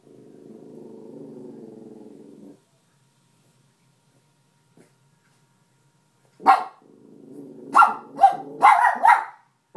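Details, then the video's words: Indoor miniature schnauzer female on guard against a possible intruder: a low steady growl for over two seconds, a pause, then a burst of sharp barks with growling between them near the end. "Burgler Alarm"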